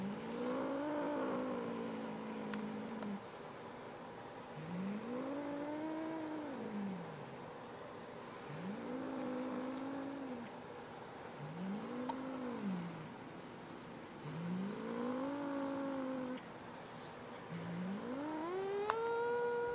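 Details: A pet cat growls over a new feather toy, refusing to share with its little sister: a series of long, arched, moaning growls, each rising then falling, repeated about every three seconds, with a higher rising wail at the end.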